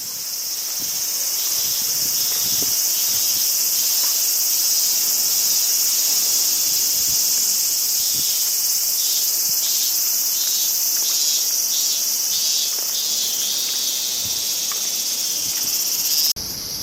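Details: Crickets in summer in Japan, a dense, steady high-pitched shimmering drone with a faster pulsed trill beneath it, running unbroken for the whole stretch; faint low rustling and wind in the background.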